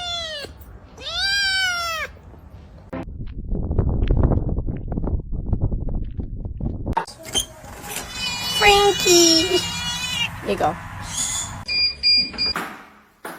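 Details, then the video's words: Kitten giving two loud, drawn-out meows that arch up and slide down, then a stretch of low rumbling noise followed by cluttered household sounds and higher squeaky calls. "Kitten meowing"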